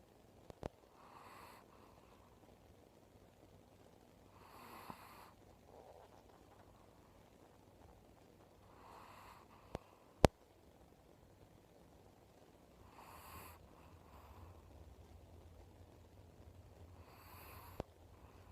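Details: An old Chihuahua, a pet dog with cataracts in both eyes, snoring unusually indoors: soft breathy snores that recur roughly every four seconds over a quiet room hum, with a few sharp clicks.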